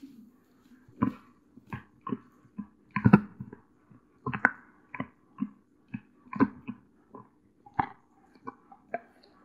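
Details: A young female Doberman Pinscher named Cola chews a natural deer antler at home in California; crisp crunching bites repeat roughly every half second to second in a steady rhythm, over a faint low room hum.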